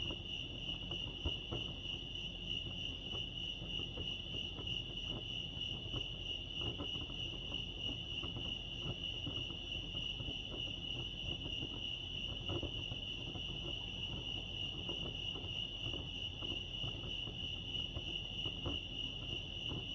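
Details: Lake Arrowhead crickets in California sustain a monotonous high trill of fast pulses, steady in pitch and loudness, against faint low-frequency ambient noise.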